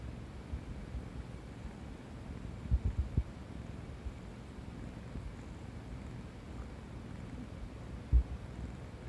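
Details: Tabby cat asleep against a person's stomach, listening to stomach noises: a soft, steady low purr rumbles throughout, with a few brief low thumps near the third and eighth seconds.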